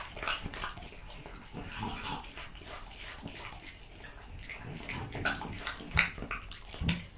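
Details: A French Bulldog eats raw quail, lamb kidney, diced lamb and beef testicle, producing sloppy, irregular chewing and smacking with occasional louder bone-like crunches toward the end.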